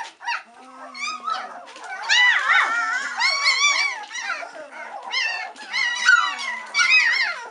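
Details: A litter of three-week-old White Swiss Shepherd puppies getting impatient as they wait for their mother to return for a feed; a chorus of rising and falling squeaky whines and yelps, overlapping, nearly continuous.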